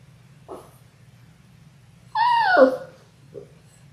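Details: Six-week-old Labrador Retriever puppies, one of a litter of six born January 18, 2022, on an indoor puppy cam: a soft short yelp, then a loud half-second whine sliding downward in pitch, a faint yip after, steady low hum behind.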